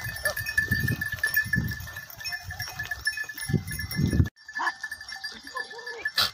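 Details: Tharparkar goats, described as a beautiful pure Thari breed, give one short, faint, wavering bleat near the end, after low rumbling handling noise and a steady background hum.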